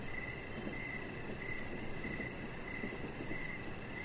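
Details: Evening crickets beside a deck with a resting chihuahua puppy: bright, evenly spaced chirps pulse in a steady rhythm, with a fainter rapid high-pitched trill behind them and a broad low rumble of background noise.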